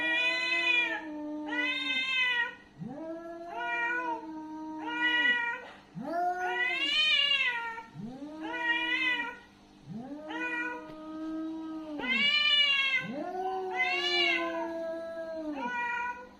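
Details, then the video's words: Aggressive domestic cat during a fight, uttering a series of drawn-out, wavering yowls about every two seconds, each rising at the start and sagging at the end, some harsher and more strained; no other sounds stand out. "Angry cat sound। cat fight sound effect। aggressive cat sound"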